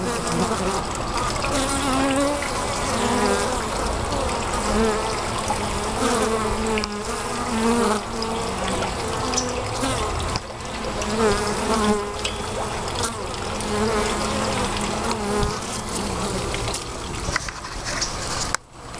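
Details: Bees heard close up, a dense continuous buzzing drone with shifting wingbeat tones, steady throughout with a brief dip near the end.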